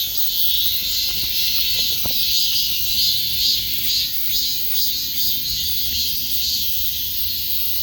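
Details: Shrill cicada buzzing fills the air, swelling and fading in quick pulses about twice a second, with a few faint clicks and knocks in the background.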